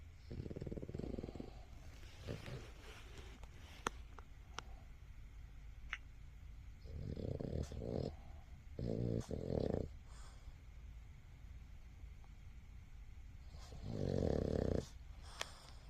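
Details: A sleeping Boston Terrier snores in low, rough bursts, each breath a raspy rumble.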